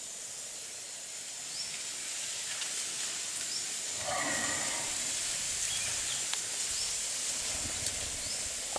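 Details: Sleeping in the jungle of Cambodia Wildlife Sanctuary, the Asian elephant Kaavan snores: after a few quiet seconds comes one rasping, breathy exhale with a rumbling low end and layered tones, all set against a constant high-pitched insect drone.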